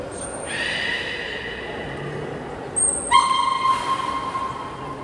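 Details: All the aquarium's belugas join a training session at Port of Nagoya Public Aquarium, Japan, on 16 November 2024. Two bright, harmonic calls follow shrill whistles, and the second call is rougher and pulsing. A crowd murmurs in the background.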